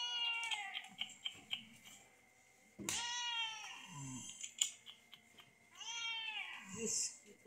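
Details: Sick cat being treated indoors by madrasa girl students: three drawn-out, plaintive meows, each bending down in pitch, spaced about three seconds apart, with a steady electrical whine and rustling in the background.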